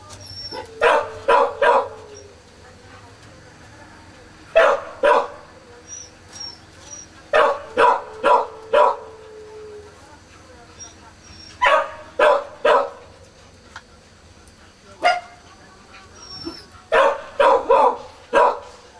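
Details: Four-day-old Kishu puppies born 16 September 2020: short scratchy squeaks in clusters of three to five, with a few brief thin whines stretching out in between.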